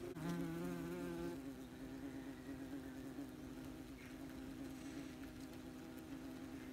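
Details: Wasps very busy at their nest, recorded as close as possible: a dense, steady droning hum with a strong low buzz for the first second or so, then a continuous, slightly wavering whir of many insects.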